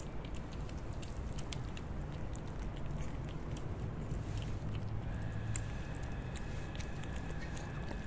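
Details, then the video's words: Kittens eating wet food indoors, with irregular moist chewing clicks and little bites over a constant deep background hum; a faint thin tone comes in toward the end. "Kittens eating wet food ASMR"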